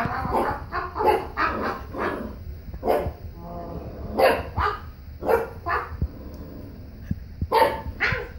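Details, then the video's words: Puppy arguing back at a human with repeated high, strident barks and whiny yelps in quick succession, several sharp clicks or taps between the outbursts. "Angry Pup argues with human"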